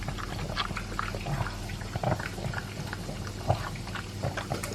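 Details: Two-year-old pug Elvis eating dry food and beef: busy crunching and lapping clicks, a few louder bites, low steady hum in the background.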